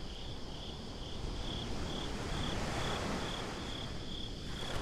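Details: Night crickets on a beach give a steady series of high chirps, close to four per second, sitting above a heavy roar of breaking waves that swells in the middle.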